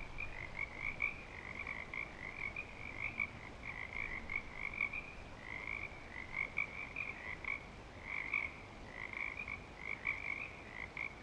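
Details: Breeding-season frog chorus recorded at Clearwater Commons: many overlapping high trilled calls run nearly unbroken, rising and falling in loudness in uneven bursts, with a faint low hum underneath.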